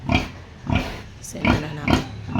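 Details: Sow close to giving birth, a pre-farrowing sign: short, low, throaty grunts repeated about every half second, five in all, with a brief higher squeak between them.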